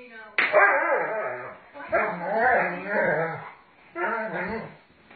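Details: Doberman Pinscher named Sage during rough play with its owner, giving harsh, throaty bark-growls: one long burst, a drawn-out rumbling stretch, then a shorter final burst, with a person's voice mixed in.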